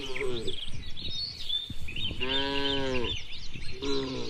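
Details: Tame cattle roaming and grazing freely in open rural countryside; three short harmonic moos, the middle one longest and fullest, with steady bird chirping and twittering behind them.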